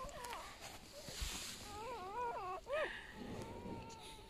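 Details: Wavering, quavering whine from a newborn golden retriever puppy in a litter of eight, rising and falling several times before a short upward cry. Human voices talk softly nearby while the pups are urged to take milk.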